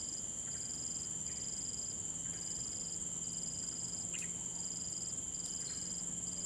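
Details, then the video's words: Late morning in Sireh Park: crickets trill in a steady, high-pitched drone with a pulsed chirp about every second, while a few faint bird notes sound in the background. "Sound of Birds and Crickets"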